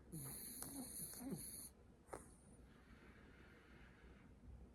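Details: French Bulldog dozing on a lap gives one long rattling snore with snorting, honking pulses, then a short sharp sniff and quiet breathing.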